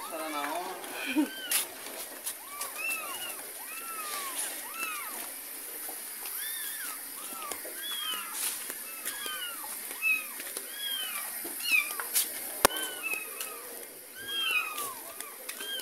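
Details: Kitten carried from a neighbour's home as its mother cat follows; a dense chorus of short, arched, high mews overlapping almost continuously, several callers at once, with faint splashing and a voice at the start.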